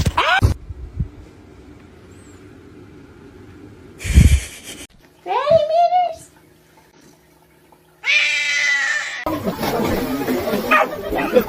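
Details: Pet cat producing a sharp, rising-then-falling meow followed a couple of seconds later by a second harmonic meow, with brief bumps, quiet room hiss and broadband noise at the close.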